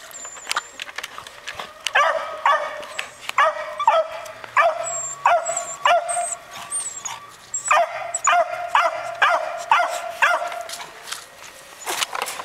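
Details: Young dogs yapping during a chase, giving runs of sharp, high barks about twice a second with short pauses, plus thin high squeals and a faint low hum in the background.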